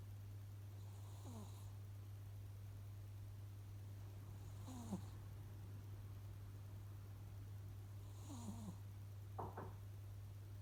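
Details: A sleeping cat snoring softly indoors, each breath carrying a faint whistling wheeze roughly every three and a half seconds, over a constant low electrical-sounding hum; very quiet overall.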